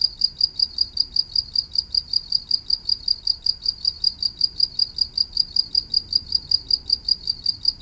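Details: Insistent cricket chirping, each pulse sharp and high-pitched, repeated quickly and evenly, with a soft low-frequency rustle underneath.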